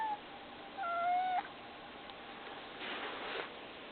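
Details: House cat giving a single clear, slightly rising meow about half a second long, followed by soft rustling and faint breathy noise.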